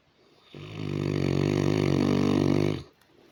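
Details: Sleeping Saint Bernard snoring: a single long, deep, buzzy rattling snore that swells in and holds steady for about two seconds before stopping abruptly, with near silence before and after.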